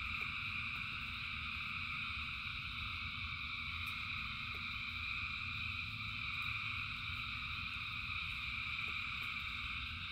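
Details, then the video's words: Massed frogs calling in rain create a constant wall of trilling sound in stacked bands, scattered faint ticks, and a low background rumble, all steady for ten seconds. "Frogs in Rain 2 Hours of Frogs, Thousands of Frogs Singing"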